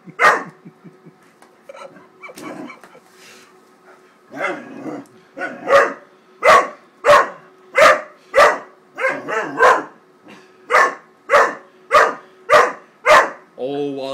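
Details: Wallace, a 13-week-old Great Dane puppy, very upset at a paper bag and attacking it: a few soft sounds, then a steady run of about sixteen loud, sharp barks, each roughly half a second apart.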